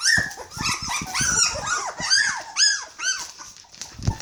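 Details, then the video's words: Hungry Border Collie puppies, 21 days old, whining and squealing together in overlapping high arched cries, several voices at once, with rapid busy calling throughout. "Border collie puppy's are hungry"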